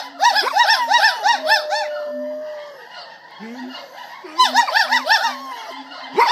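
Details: Gibbons at a gibbon center sing rapid, looping whoops in bursts, while Jul, the center's guard dog who has grown attached to them, joins in with a long howl.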